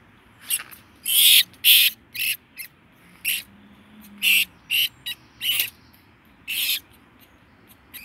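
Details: Brown rat caught in a cage trap in Bolton, giving a series of sharp, very high-pitched squeaks and clicks in irregular bursts, a few loud ones close together, then scattered shorter notes.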